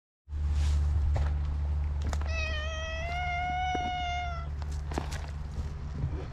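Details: Black stray cat meowing outdoors: one long, clear, steady meow lasting about two seconds, held level then easing slightly, over a constant low rumbling hum and a few faint clicks.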